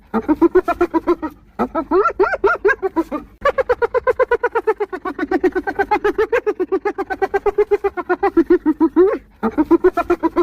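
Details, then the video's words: Hyena laughing in quick rhythmic giggles, around four notes a second, tone rising and falling across bouts, with short breaks between sections. "1 Hour Of Hyenas Laughing!"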